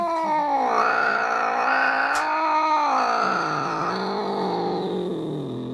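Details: An angry British Shorthair cat sustains one continuous, loud, harmonic yowl for over five seconds, wavering gently in pitch with a faint click partway through.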